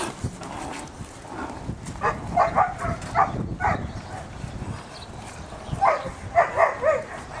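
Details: Very dark-coated Belgian Malinois, a working-line sire with a trainer, barking in short clustered bursts: a group of loud barks in the middle, then another quick series near the end, over steady background noise.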